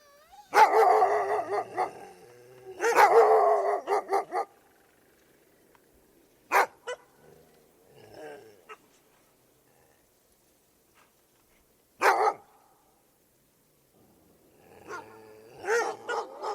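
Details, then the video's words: Dogs barking and howling: two long rough bouts of rapid barking open the recording, followed by single sharp barks separated by quiet stretches, and a fresh burst of barking at the end. "Dogs Barking And Howling"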